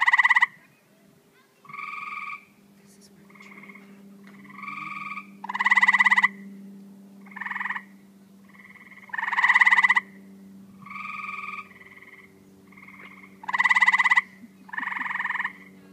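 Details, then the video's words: Several tree frogs in a calling chorus, loud pulsed rasping bursts trading with quieter nasal notes, roughly a dozen calls over the stretch, with a constant low hum in the background. "Tree frogs"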